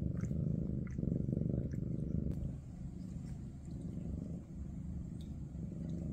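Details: Maine Coon from kitten Ada's big cat family purring indoors. A deep, rapid rumble is strongest in the first two seconds, then continues more softly, with faint clicks and movement sounds.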